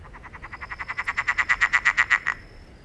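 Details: Frog making an unusual, rare sound: a rapid train of about twenty pulsed notes, several per second, growing steadily louder before stopping abruptly.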